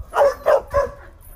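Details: Surrendered mixed-breed hunting dog, described as fierce, at feeding time, giving three sharp, mid-pitched barks evenly spaced about a quarter second apart, then silence.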